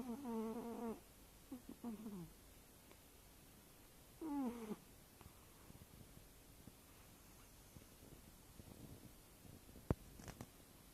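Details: Eight-year-old tabby cat asleep, wheezing softly as it snores: three short tonal, buzzy bursts in the first five seconds, then near silence with a faint click near the end.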